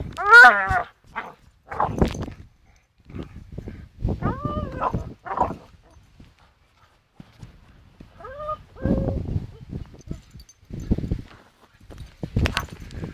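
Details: Staffordshire Bull Terrier called Charlie swinging on a rope, giving short harmonic whines and yelps scattered among noisy thuds and scuffles, with loud bursts near the start, middle and end and quiet gaps between.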